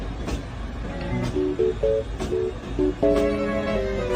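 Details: Plucked guitar notes play over a low rumble, with faint speech and no animal calls.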